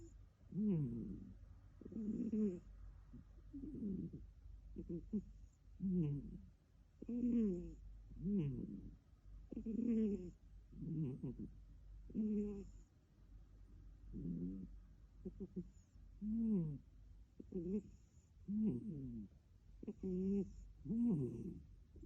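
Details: Adopted male British cat snoring; soft, rhythmic nasal snores with a low rough tone, each breath rising and falling, repeated roughly every one and a half to two seconds.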